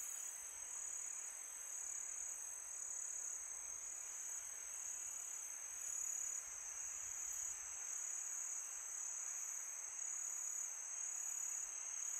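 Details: Crickets calling at night in summer, producing a sustained, piercing high trill with faint pulsing texture, backed by a low hiss of wind that rises and falls slightly.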